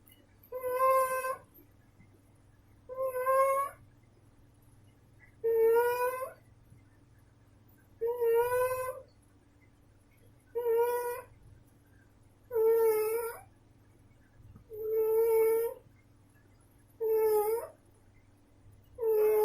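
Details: Female pet cat snoring indoors in steady rhythm. Squeaky, whistled, nasal breaths of about half a second to a second repeat roughly every two seconds, nine in all. Quiet gaps fall between them, over a constant faint hum.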